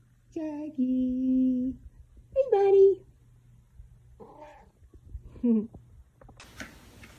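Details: Pet cat in a funny cat compilation, indoors in a small room; several tonal meows, the first drawn out and steady, later ones shorter with rising or falling bends, followed by a brief rustling noise at the end.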